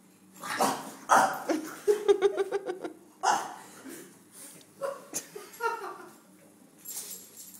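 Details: Longhaired vizsla at the vet, giving a quick run of short, high whining yelps and a few sharper cries between them, with people talking and laughing nearby.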